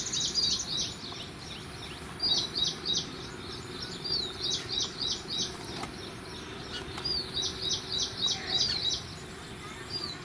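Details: High chirping from an Indian palm squirrel feeding on pomegranate: rapid clusters of short, sharp notes repeated almost continuously for ten seconds, with a constant low rumble of background noise.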